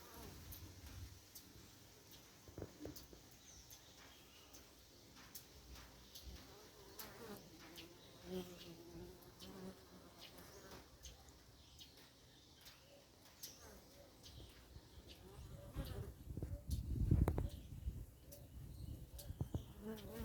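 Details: Africanized honey bees buzzing at a bee yard apiary, October 2021: a soft, low drone throughout, swelling into a louder rumbling buzz around seventeen seconds in, with scattered clicks.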